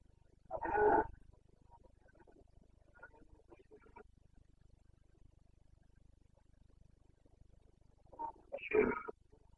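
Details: Distant Carpathian stag in the Bucovina mountains during the September 2022 rut: two hoarse, groaning roars separated by several seconds, with faint quieter calls between them over a steady low background hiss.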